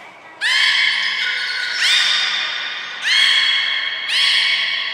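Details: Belugas Hodoi, Gray, Nana and Niko in training at Port of Nagoya Public Aquarium, 5 June 2021, give four squawky harmonic calls, each starting abruptly with a slight upward sweep then holding steady, in an echoing indoor hall.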